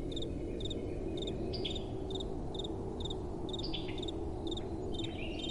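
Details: Night-time crickets in soft wind, giving steady high pulsed chirps about twice per second, with occasional sliding, descending chirps from a second caller. A continuous low wind rush fills the background.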